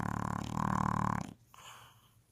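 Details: An English Bulldog snoring away around the house: a loud, raspy, rattling low snore lasting over a second, with a strong buzzing hum, then quiet room noise and a softer breath.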